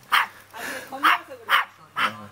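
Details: Timid little white-haired dog in a skirt, Jeonju, North Jeolla Province, Korea, barking on guard. Four short bright barks roughly every half second, with people talking softly underneath.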